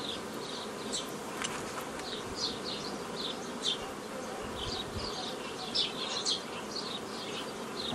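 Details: Honey bees buzzing as old-style nucleus colonies are formed from a previously made foraging swarm, 15 May 2018: a steady dense hum with scattered short high chirps and clicks over it.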